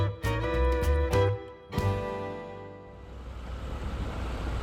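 Harmonic musical notes ring out over low rumbling, then fade into a steady wash of noise.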